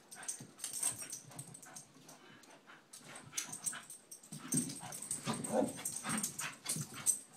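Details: Scottish Terriers McGee and Mackie in a playful wrestling bout. Rapid, irregular scuffles and snuffling give way to a run of low growls and grumbles in the second half.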